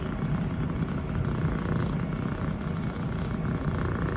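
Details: Elle, a six-month-old female Scottish Fold kitten, fluffy longhaired brown tabby and white, purring nonstop while her owner pets her; a steady, low, rumbling drone with no breaks.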